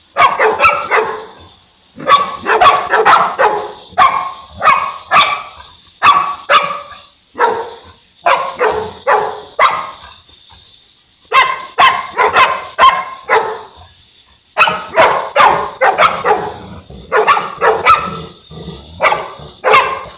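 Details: From a Boerboel couple, Enzo and Diva, living in Egypt, a long stretch of booming barks comes in irregular runs of three to six, at roughly two barks per second, with short silences between the runs.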